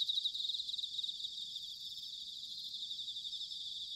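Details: High, tinkling pulsed trill of bell crickets on an autumn night at Sanuki in Chiba, Japan. Dense overlapping singers give a continuous shimmer, strongest in the first second. Faint low background hum.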